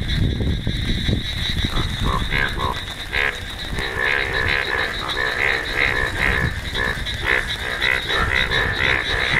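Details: Indian bullfrogs showing bright yellow colour, heard as a loud, dense chorus of overlapping croaks. Rapid nasal, buzzy calls repeat continuously, layered with many other calling frogs.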